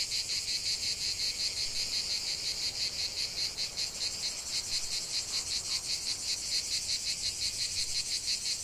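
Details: Cicadas singing in a lavender field: a dense, continuous high buzzing chorus with a fast pulsing rhythm, steady throughout with no other sounds.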